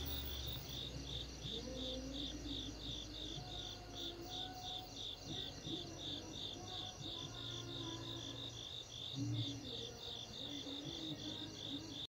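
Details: Crickets on a peaceful summer night in Asia give bright, high chirping in quick pulses repeated several times a second without pause, over faint, low drawn-out tones like gentle music or a distant hum.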